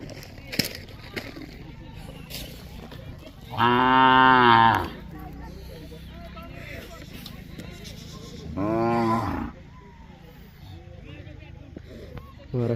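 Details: Bullock giving two drawn-out, deep harmonic bellows, the first about a second long and the second shorter, several seconds apart, over a background of people talking and scattered knocks.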